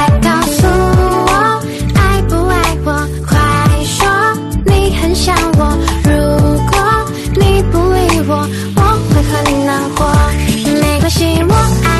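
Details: Loud, upbeat music with steady beats and melody plays throughout, with no animal sound.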